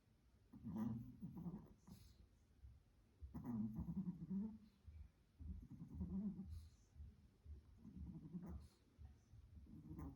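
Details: Little Spitz dog snoring while asleep indoors. Low, buzzy, rattling snores come in a steady breathing rhythm roughly every two to two and a half seconds, about five in all, with faint breathy hiss between.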